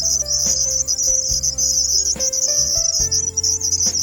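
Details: Red cricket gives a constant piercing high trill, sustained for the whole stretch, accompanied by soft sustained musical tones and a few faint clicks.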